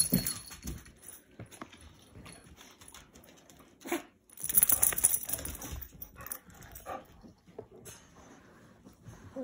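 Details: Staffordshire bull terrier indoors in a small room, vocalising to get its owner's attention: short scattered grumbling, whiny bursts with a louder run of noisy vocal sounds midway, then quieter murmurs, as a woman speaks to it.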